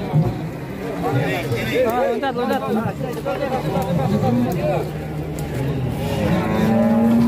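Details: At a market where a fat bovine went on a rampage and collapsed, excited human voices and crowd chatter dominate; near the end a rising, drawn-out moo begins.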